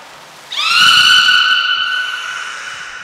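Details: Captive beluga at Nagoya Port Aquarium on 18 February 2024, during feeding and later play; a single strong whistle starts suddenly, sweeps up briefly, then holds level and slowly fades over about two and a half seconds.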